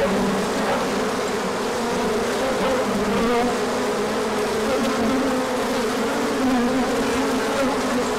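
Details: A mass orientation flight of bees in sunshine following colder days, 24 March 2024, with plenty of pollen arriving later; unbroken droning hum, several buzzing tones sliding higher and lower as bees fly close by.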